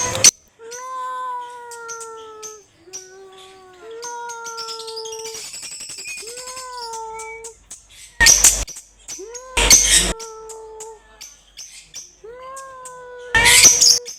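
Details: A domestic cat meows loudly and repeatedly, with about seven drawn-out, slightly falling meows, some rising at the start. Short bursts of hissing or rustling noise break in between them, and there is a faint musical tone near the middle.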